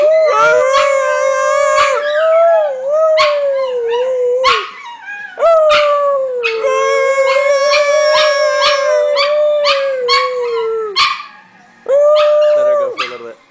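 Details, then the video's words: Several pet dogs singing together in a sustained howl, steady drawn-out tones with wavering pitch and overlapping yelps, a few sharp clicks and short breaks, ending with one last howl. "Howling Dogs"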